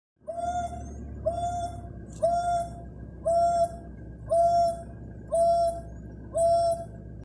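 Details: An African wild dog gives a run of short, hooting notes, about one each second, in an open bush plain in South Africa's Sabi Sands game reserve, in 2020, on an afternoon game drive starting around 4:30pm.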